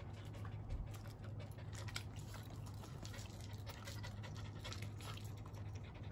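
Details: Miniature Schnauzers Mint and Pom, two pet dogs at the end of a walk, obeying "wait" and "sit"; soft breathy panting bursts at an uneven rhythm over a steady low hum, with faint background noise.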